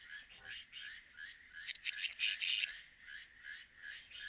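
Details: Pachytrachis gracilis singing at Vela Ucka in Croatia, July 2023: a loud burst of about ten quick raspy pulses in the middle, framed by fainter, evenly spaced soft chirps, entirely high-pitched.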